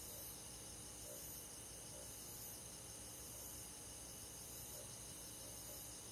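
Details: On a summer night in rural woodland, crickets and other insects trill together in an unbroken, high, finely pulsing drone, the overlapping callers blending into one steady shimmer.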